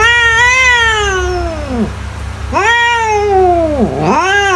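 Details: Cat meowing, used to frighten mice away: a long meow sliding downward, then a second arched meow dipping low and rising again into a third, strongly harmonic, steady low hum underneath.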